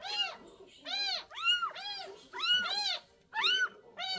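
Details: Rescued stray cat crying insistently: loud, bright meows repeated about once a second, each a rising-then-falling wail, sometimes doubled into quick pairs, with little else audible between calls.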